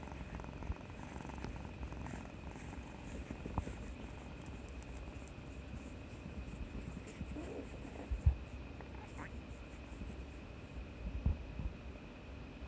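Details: Indoors on 18 March 2020, Kuri the house cat purrs for affection after being brave through a vaccination shot. A continuous deep, even purr runs under faint quiet human speech and a couple of soft taps.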